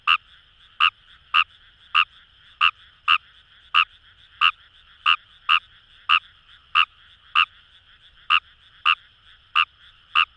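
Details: Japanese rice frog, Fejervarya kawamurai, in rice paddies of the Kamo River area, Itoshima, Fukuoka: sharp, rasping pulses spaced roughly half a second apart, steady and bright, over a faint background chorus of more distant frogs.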